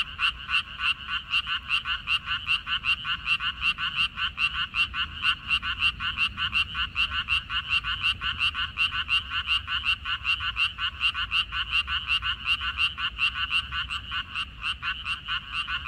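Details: Frogs calling from a water dropwort field, recorded 14 May 2021; a dense chorus of rapid, rattling croaks pulses continuously, many callers overlapping in a steady, throbbing din throughout with no other clear sounds.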